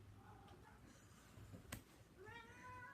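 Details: Housecat calling to its people indoors around feeding time: quiet, wavering meows that rise toward the end, with a sharp click midway and a person's voice nearby.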